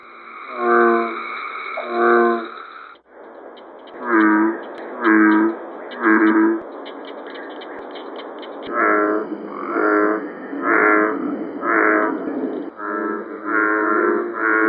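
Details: American bullfrog chorus from Georgia, USA: deep, resonant, harmonic-rich croaks delivered in bursts of two to four roughly one second apart, with several overlapping callers and faint background insects.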